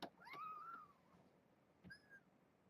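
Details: Kittens with their mother Janine, a brown tabby stray from the Tulalip, WA area, caged at Purrfect Pals: a thin, tonal mew holding near one pitch with a slight rise and fall, then a second shorter, higher mew; soft handling noises.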